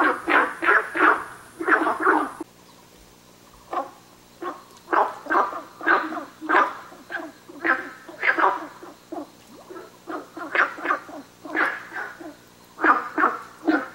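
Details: Günther's frog at Nanhegu: a fast cluster of gruff croaks, a two-second pause, then renewed bouts of short rasping calls in groups through to the end, with a faint background drone.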